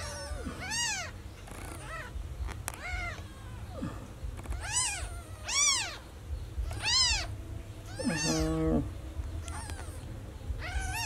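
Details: Baby kitten crying for its missing mother: about eight high, arched meows at irregular intervals, with a brief buzzy, stepped sound near the end and low background rumble.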